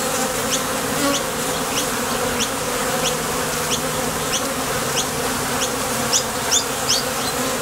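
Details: ['Honey bees at the entrance of a Top Bar Hive, departing and returning from nectar foraging: a steady buzzing hum, with a busy scatter of soft high chirps that grow sharper toward the end.']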